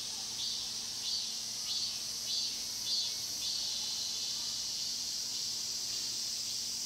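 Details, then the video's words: In the Mokgye pine grove of Cheongsong, Korea, cicadas buzz in a high shimmering drone with several pulsing swells early on, then a steadier hum, faint low hum in background. "자연의 소리 '청송 목계솔밭 매미소리' cicada sound"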